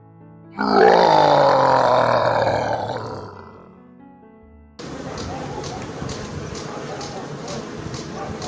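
A farm animal gives a long, rich, lowing call that slowly falls and fades, followed by music.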